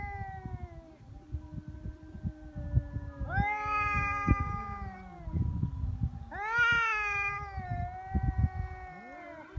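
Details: Feral cats facing off on Japan's Cat Day, February 22, neither backing down from the threat: loud, strained caterwauls that swell abruptly into harsh, high wails and then slide down, repeated twice amid rustling and scuffing.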